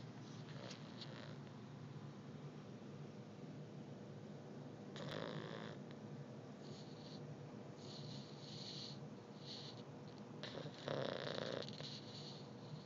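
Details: Beagle puppy asleep and snoring indoors; quiet breathing with a few louder rasping snores, one near the middle and a stronger one toward the end, over faint room hiss.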